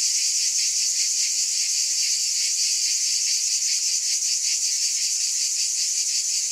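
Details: Cicadas buzzing nonstop in a thick, piercing high hum with a fast wavering pulse, constant volume throughout and no other sounds present.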